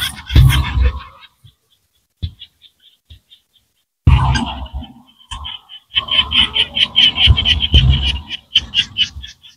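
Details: Small frogs in rice fields in rural Cambodia: scattered short clicks and brief trills at first, then a denser run of quick rattling, pulsed calls repeated about twice a second, with low thumps underneath.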